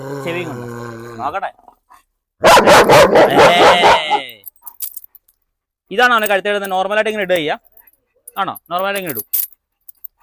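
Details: German Shepherd in a dog challenge at a house in Perumbavoor, unleashed and provoked: a loud burst of rapid, harsh barks lasting over a second, between stretches of human speech before and after.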